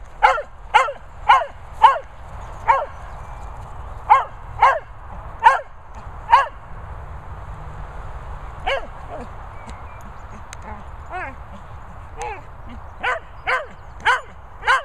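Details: Cocker and Vizsla dogs playing, one barking in a rapid, fairly steady run of short, sharp yaps, then a pause with only faint yips before another burst of quick barks resumes near the end.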